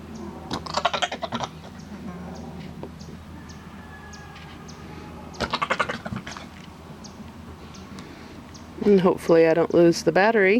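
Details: Nigerian Dwarf goat during breeding time, giving a loud wavering bleat with trembling harmonics over the last two seconds, after bursts of clattering and knocking sounds and a steady low hum in the background.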